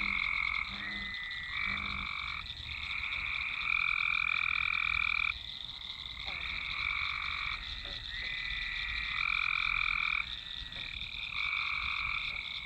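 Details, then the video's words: Frogs massed in a swamp, recorded with a Nokia Lumia 1020: a few brief low croaks open, then long overlapping buzzy trills rise and fall steadily over a persistent high drone. "Swamp ambience (frogs, frogs, frogs)"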